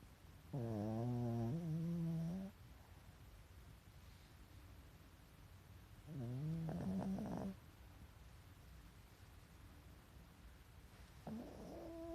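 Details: A pet Pekingese dozes with eyes showing white and snores steadily. Three low, buzzy, rumbling breaths come roughly every five seconds, each starting lower and rising a little in pitch.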